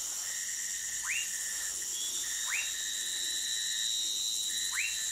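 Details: Orinoco lime tree frog (Sphaenorhynchus lacteus) recorded in Manaus, Amazonas, Brazil: three short chirps that sweep sharply upward, spaced about 1.5 seconds apart, over a steady high insect buzz and a constant thin whistling tone.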